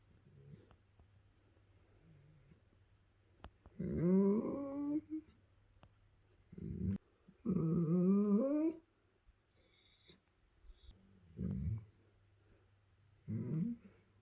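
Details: A young German Shepherd who is learning to enjoy affection makes rising, wavering whines and low grumbling moans a few seconds apart, described as pleasure noises while being cuddled.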